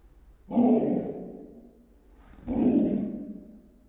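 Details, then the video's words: Sadie the dog pestering the household cat, giving two long, deep, groaning barks. The first comes at half a second and the second near two and a half seconds. Each is loud at onset, then trails off, over a quiet background. "Sadie Harassing the Cat"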